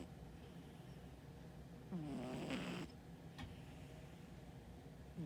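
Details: Sleeping brown tabby cat, currently on a diet, snoring softly: one low, rasping snore drawn out for under a second midway, a second snore beginning at the very end, with quiet room hush between breaths.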